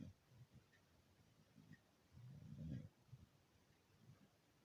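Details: A beagle asleep, giving one long, deep, gravelly snore in the middle, framed by softer, shorter nasal breaths against a quiet room.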